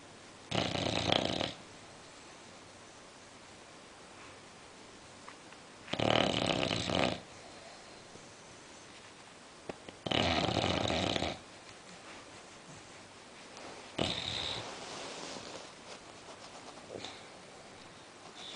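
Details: A sleeping female English Bulldog snores in loud, raspy bursts roughly every four seconds.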